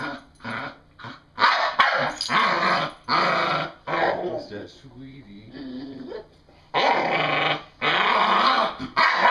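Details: Female English Bull Terrier, excited and playing, produces gravelly growls and barks in long rasping bursts, a quieter stretch in the middle, and a person's voice briefly audible.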